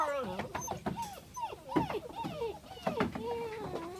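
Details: Black German Shepherd puppies, registered litter in Peterborough, whimpering and squeaking in a run of high, wavering, bending whines with short yips, several overlapping cries close together.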